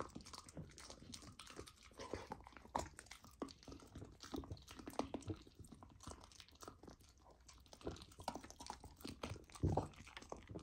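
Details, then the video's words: Indoors, a golden retriever puppy chews raw lamb, tried for the first time as part of its raw diet; dense, low, wet mastication with irregular crunches and a louder bite burst near the end. "Puppy tries raw lamb for first time! ASMR Eating Sounds"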